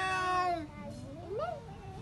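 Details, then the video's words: Pet cats during a fight: a harmonic yowl fades out, followed by a low moan that bends upward into a brief rising whine. "Cat fight with real voice"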